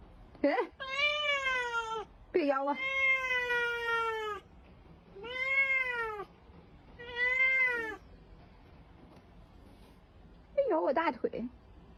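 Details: House cat biting in affection and meowing loudly: four long, steady, slightly falling meows spaced about two seconds apart, then a woman's sharp Mandarin exclamation near the end, in a small indoor room.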